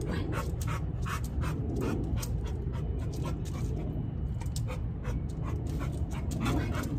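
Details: Hodor, a pet dog, pants steadily: a run of quick, breathy, regular strokes that carries on through the whole stretch, with almost no human voice over it and only a low background hum.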